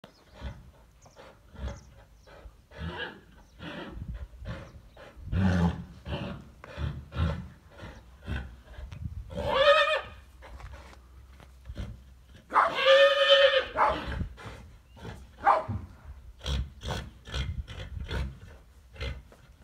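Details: Chestnut horses with grey-coated fillies; two loud harmonic whinnies with wavering pitch break out near ten and thirteen seconds amid a steady run of short sharp thuds and clicks.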